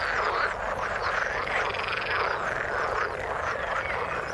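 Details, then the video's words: A chorus of frogs calling in water, a steady blur of buzzing croaks from many animals, with faint higher chirps woven through. "Frog sound in the water"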